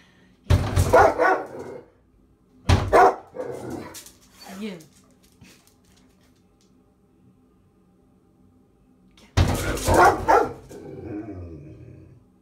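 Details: A female Rottweiler protecting her owner from a man gives deep, rough, forceful barks in loud clusters separated by pauses, with human voices between the bursts, in a small indoor room.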